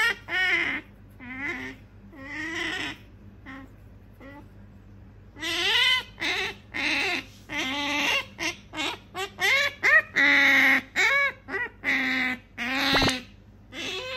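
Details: Female pet otter Sakura pleads again and again for something in her owner's hand: quick bursts of wavering, bending squeaks, sparse at first and then a rapid run of short chirps packed close together, with a brief click near the end.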